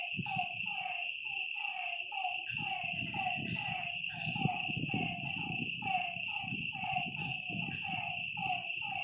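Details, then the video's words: Night-time frog chorus beside a lake: repeated short falling croaks from several frogs, over a high insect hum and a heavy low rumble. "Lakeside night creatures and frog sounds"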